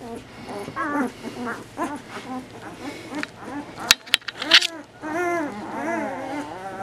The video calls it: Bernese Mountain Dog Puppy sounds